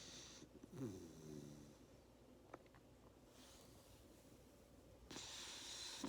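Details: Napping Labrador Retriever puppy, tired after a hard day of playing: a short, buzzy snoring snort near the start. Then soft breathing and a hissy exhale at the end.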